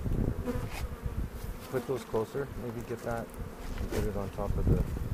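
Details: Honey bees buzzing during a spring hive inspection on April 27, 2018, at a foothills bee yard near Cochrane, while beekeepers look for queen cells; a dense low hum with harmonic drones, overlaid by people talking.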